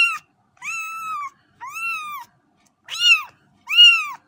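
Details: Young cats give loud, drawn-out meows, the first two long and level, the last two shorter and arched, in a quiet indoor setting.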